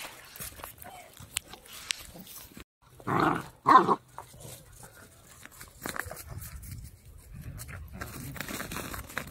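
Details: Male Pembroke Welsh Corgi puppy, three months old, born 11 November 2021, offered near Zhukov in Russia's Kaluga region; two short, loud, broad barks a split second apart mid-clip, surrounded by soft rustling and handling noises.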